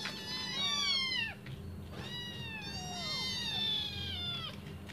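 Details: Five hungry kittens crying for their returning mother to feed them: two main bursts of tangled, high descending meows from multiple kittens, a quieter stretch between, and a soft steady hum throughout.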